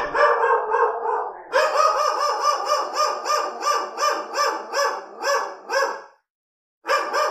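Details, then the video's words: Real angry dogs barking: a steady, rapid run of harsh, regular barks, roughly three per second, continues for about six seconds, breaks off, then one more bark starts. "Dog Barking Sound | Dog Barking Sound Effect High Quality"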